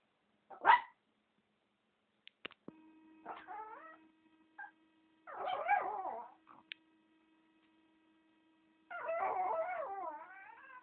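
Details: Chihuahua named Valentina giving several wavering, harmonic howl-like bursts in separate runs, with a short sharp yip near the start and a faint steady tone running underneath.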